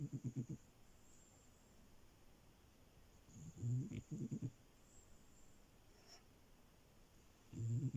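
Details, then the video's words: French Bulldog puppy Milo sleeping on a bed: low, fluttering snores arrive in short rattling bursts roughly every three to four seconds, with calm silence between them indoors. "Frenchie love and her snores"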